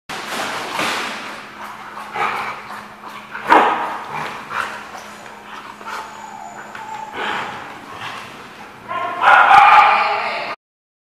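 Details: Dogs at The Barking Lot, recorded 4-6-15, give loud harsh barks at irregular intervals over eleven seconds, ending in a long noisy burst of barking, with a steady low hum underneath.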